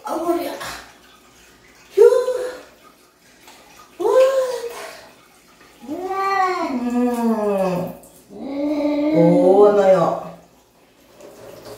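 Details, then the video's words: Domestic cat protesting while being bathed: a series of drawn-out, wavering yowls, each rising then falling, about four cries spaced roughly two seconds apart, the later ones longer and louder, with quiet gaps between them. "냥빨의 날 | 고양이 목욕"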